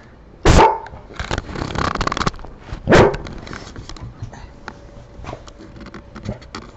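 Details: Domestic dog barking at no one: two loud, sharp barks about two and a half seconds apart, with softer shuffling and room noise between them.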